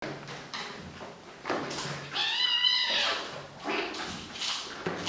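Maine Coon kittens give a short, high, wavering meow amid indoor knocks and rustling.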